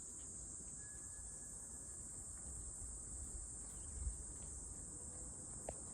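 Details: Cicada, described as cute, giving a steady high-pitched continuous buzz that holds without a break, with low rumbling background noise underneath.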